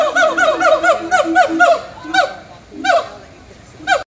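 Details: A siamang gibbon at a zoo gives a quick run of loud, nasal whooping calls, then a few spaced single whoops.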